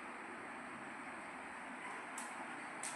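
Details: Only a steady, quiet indoor hum, like a vehicle or appliance, with a faint hiss and no animal voice.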